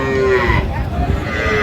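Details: Sahiwal bull calves at a cattle market in Kurigram, Bangladesh, on 22 April 2025: a brief, tonal, harmonic lowing call that fades after about half a second, set against a steady hubbub of market chatter and people's voices.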